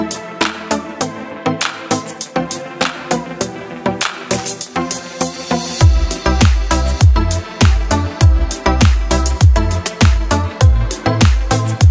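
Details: Electronic dance music with a steady thumping beat and heavy bass, which grows fuller about halfway through.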